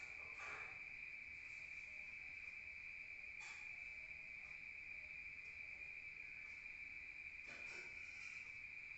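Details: Rural night crickets, heard from indoors: an unbroken shrill trill at one pitch, with a few brief clicks or knocks scattered across the stretch.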